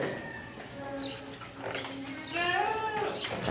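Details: Goats on a farm of fine breeds, kept in a barn, give a wavering bleat in the last second that bends upward and then falls, over a low murmur of voices and farm noise.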